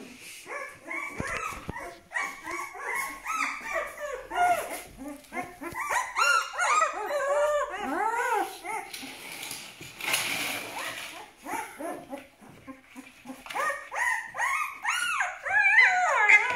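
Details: Malaklı puppies from Aksaray, twelve days old, whine in a constant chorus of overlapping voices, each cry an arching rise-and-fall, some shrill and high, with a brief burst of rushing noise midway.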